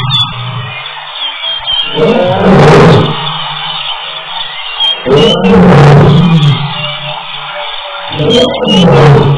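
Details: A wild lioness at Tembe calls with deep, throaty roaring grunts, each lasting about a second and spaced roughly three seconds apart, and gets return calls.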